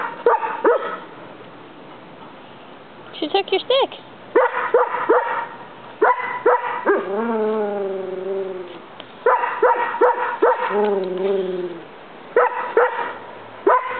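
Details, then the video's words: Tennyson, a pet Collie, barking at a roommate indoors with other dogs present; rapid clusters of sharp barks broken by long wavering whine-like howls, with a voice speaking underneath. "someone shut that(Collie) Dog up!"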